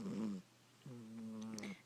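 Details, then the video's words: Sleeping domestic cat snoring indoors: a short droning tonal breath, a pause, then a longer steady humming snore with a low fundamental and stacked overtones, ending with faint higher clicks. "the Snoring Cat"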